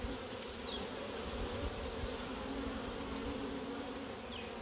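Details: Africanized honey bees, Puerto Rico, stirred during a routine hive inspection; an even, unbroken buzzing drone of many bees throughout, with faint higher whines of individual bees flying past.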